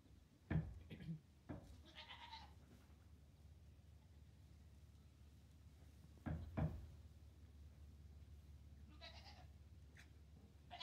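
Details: Hector, a two-day-old Nigerian Dwarf goat kid in a farm barn stall, lets out two short harmonic bleats, one near the start and another near the end, between low rustling and thumps in the bedding.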